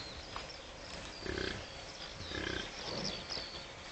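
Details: An American bison (Bison bison) on a bison farm in Kurozwęki, Świętokrzyskie, Poland, gives short, rough, pig-like grunts at close range over a steady outdoor hiss.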